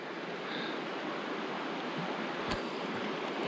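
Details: Steady rushing wind and lapping water at a lake in winter rain, with one sharp click and no animal calls.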